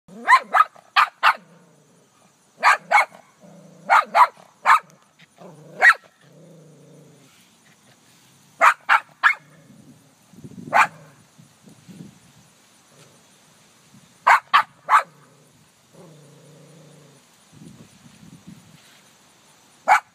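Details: Ellie the dog barks at her own reflection in a car: sharp broadband barks in quick clusters of two to four, separated by low whining growls and pauses.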